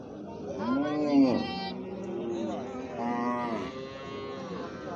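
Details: Calf mooing in a compilation of baby cow footage: a short rising-falling bawl near the start, then a second drawn-out moo after a pause, over a faint background of other noise.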